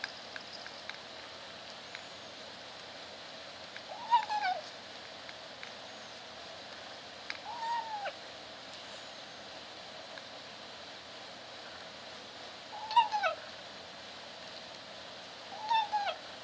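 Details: Kitten in a cage trying to meow as she eats, kept away from a dog: four brief, squeaky mews spaced several seconds apart, each a quick rise and fall, over a steady quiet background.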